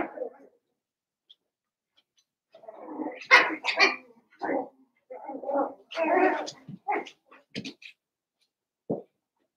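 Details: Seven-week-old Cavalier King Charles Spaniel puppies in an indoor home pen: a burst of short, sharp high yips and barks, several overlapping in quick irregular succession, then a brief pause and one last yelp.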